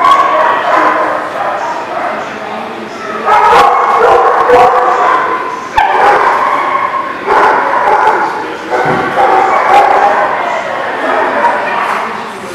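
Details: Dog barking on 26 November 2018: sharp barks and short yips come in bursts, set against steady human speech and a busy, echoing background of overlapping voices.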